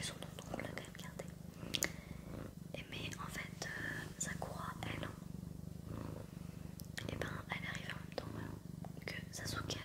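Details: Pet cat named Sakura purring in a steady low rumble throughout, with soft French whispering and small tapping and rustling sounds on top.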